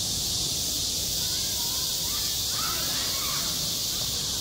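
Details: Cicada song at a school playground in summer, a constant high buzzing wall of sound, with faint harsher calls from other animals near the end.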